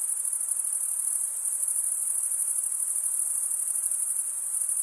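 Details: Male crickets stridulating in a shrill, sustained high trill, its texture beating in fast pulses roughly three per second, loosely regular, carried on without a break over a faint background hiss.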